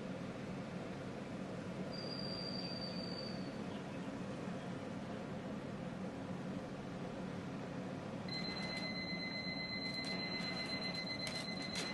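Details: Indoor background hiss with a brief high electronic tone, followed later by a sustained high tone with rapid clicking.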